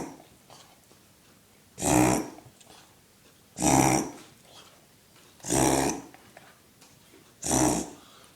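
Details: Pet dog having a reverse sneezing fit indoors, likened to a rhino: four loud, rasping, broadband snorts spaced roughly two seconds apart, with faint breathing between them.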